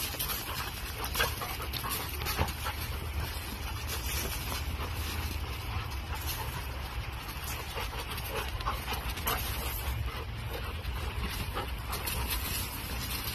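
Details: Smazy, a Mastiff up for adoption, recorded on 24 August 2023 in the afternoon, breathes in a steady, breathy pant of soft noisy bursts, with a constant low hum underneath.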